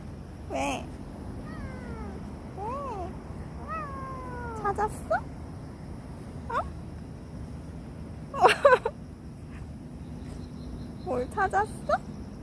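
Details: Cat crying out in a place where police were investigating an incident; several short falling, whining meows in quick succession, followed by sharp clicks and knocks, with a faint steady hum behind.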